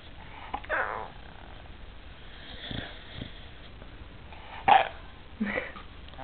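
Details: Zed, a male American Staffordshire Terrier seeking attention while being scratched and massaged, answering with short breathy snorts and a louder wheezy grumble near the end, a soft-spoken person talking to him in between.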